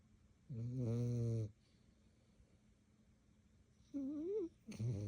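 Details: Dog named Rocky playing and biting another dog at about 11:30 at night; a deep, rough growl, a pause, then a higher wavering whine and a final short growl.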